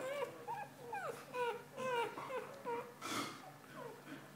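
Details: Golden Retriever puppies four days after birth, a steady run of thin, downward-bending squeaks and whines roughly every half second, with a brief noisy rustle midway and faint indoor background hum.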